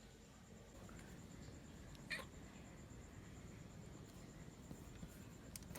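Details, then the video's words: Stray cat with a broken jaw that came to a house front asking for help, very hungry when fed; one brief, high, strained meow midway through, over a steady low background rumble and a faint constant high tone. "Kucing dengan rahang patah meminta pertolongan"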